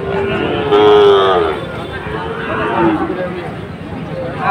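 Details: Sahiwal breed bulls for sale at Ambari market, Monday 24 July, with Chittagong traders buying: one sustained, steady low moo lasting about half a second near the start, then a fainter falling call, under a constant murmur of market noise.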